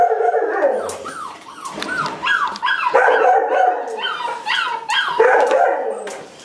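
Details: Pet male dog during a sit command, giving a run of short arched howling yips about three a second, harmonic and rising-then-falling, with occasional human voice nearby.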